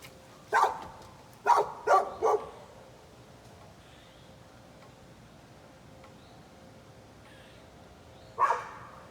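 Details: A neighbour's dog barking at a leaf blower nearby: four sharp barks within about two seconds, a long quiet gap, then one more bark near the end. Faint background noise throughout.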